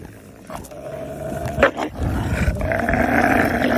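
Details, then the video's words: Hungry wolves growling: a low rough snarl with a steady tonal hum, rising into a louder harsh burst midway, then a sustained strained growl to the end. "Hungry Wolves"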